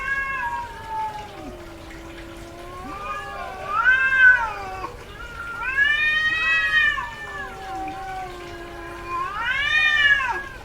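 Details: Domestic cats in heat caterwauling: several loud arched yowls rising and falling about every three seconds, layered with lower drawn-out moans from another cat, strident and harmonic-rich.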